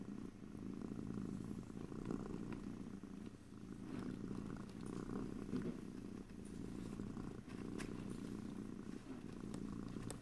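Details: A cat's deep purr rumbles on for ten seconds in gentle waves, with faint clicks and small rustles above it, no talking.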